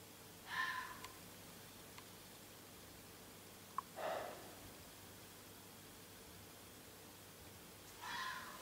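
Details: A fox barks loudly outside at night, giving short, hoarse barks spaced several seconds apart over a steady background hiss; it kept calling for about 20 minutes.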